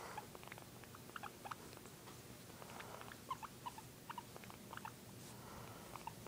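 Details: Guinea pig producing quiet, clipped squeaks in small irregular groups, a few louder single chirps standing out, against a low steady room hum.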